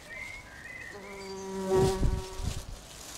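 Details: At a bumblebee nest in a house roof, a few thin high chirps sound first, then a low humming buzz starts, rising and falling in loudness as bees fly close by, with soft thumps.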